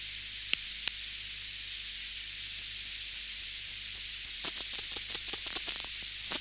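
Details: Garden tiger moth making high clicks against bat echolocation, distant: two isolated ticks, a quiet stretch, then evenly spaced ticks leading into a fast dense burst of clicking.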